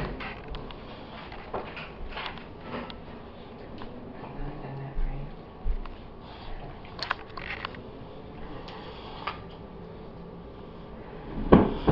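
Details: Low household background fills the room, with scattered clicks, light knocks and a steady fan-like hum. No bark, growl or other animal call stands out.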